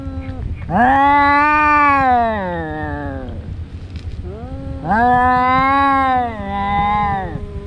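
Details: Domestic cat during a daily fight between two brothers: two long, loud, rising-then-falling caterwauls about three seconds apart, rich and nasal, with a softer trailing wail after the second.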